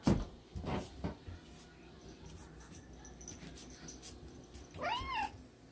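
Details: Siamese cat during an attack, giving one short meow near the end that rises and then falls, with its harmonics stacked above. Earlier there are thumps, rustling and scuffling noises.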